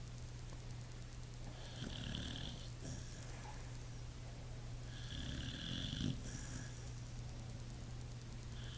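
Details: A pit bull sleeping and snoring, two drawn-out rasping snores a few seconds apart, each with a wheezy hiss, over a steady low background hum.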